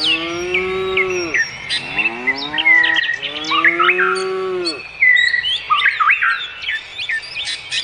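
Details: Cattle on pasture: three long, steady moos in quick succession, each slightly falling at the end, with lively bird chirps and whistles throughout.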